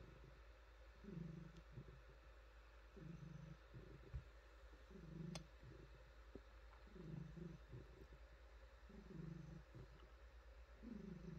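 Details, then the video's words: Domestic cat, a female, purring steadily as she is petted and pampered; deep, low rumbling pulses rise and fall roughly every two seconds over about eleven seconds, with soft clicks and rustles from the petting. "Cat Purring"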